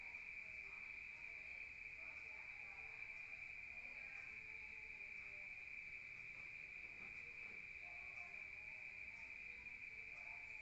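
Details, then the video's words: Rural crickets at night, heard from inside a room: an unbroken, evenly pitched shrill chirring fills the whole stretch, over quiet low background noise. "Rural Nature Sound of crickets at night"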